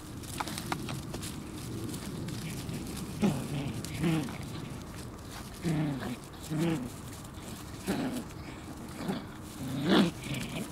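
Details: Shiba Inu puppies competing with one another; short low growly yelps and whines come in scattered bursts every second or so over steady background rumble.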